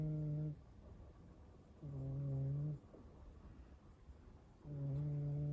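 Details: A rescued cat asleep and snoring, three low buzzing drones roughly two seconds apart, each about a second long with a flat, even pitch, separated by soft breathing pauses in a quiet room.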